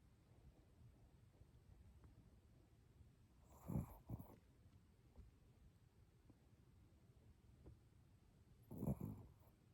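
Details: Sleeping Chihuahua named Fuku-chan snoring contentedly. Low, rough, snorting breaths come in two short bursts about five seconds apart, each with a quick double pulse, over a quiet indoor background.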